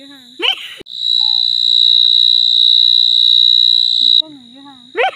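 A cricket sings a continuous, piercing high-pitched trill that starts and stops abruptly. A person's voice can be heard briefly just before and after the insect's sound.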